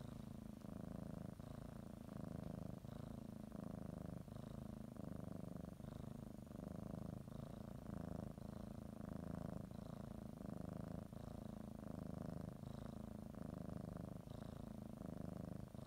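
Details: Domestic cat readying for a morning nap, kneading and biting a blanket while purring; steady low rumble rising and falling with breathing about once a second, light rustling in a quiet room.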